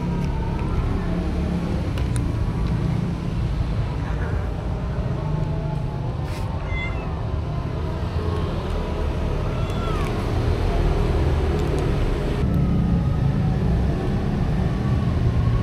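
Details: Stray cats being fed outdoors: several thin, rising and falling meows scattered through the stretch, some sliding upward, over a steady low engine rumble and occasional voices.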